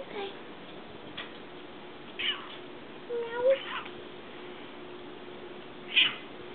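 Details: Indoor house cats with new toys tossed down, one of them possibly stuck in a bag: a few short, scattered meows, one rising and bright near the end, against a quiet room hum.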